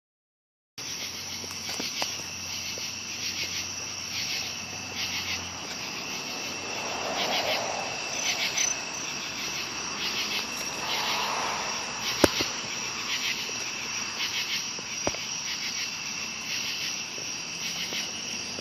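A dense night chorus of cicadas and crickets, a steady high shrill with a fast pulsing rhythm.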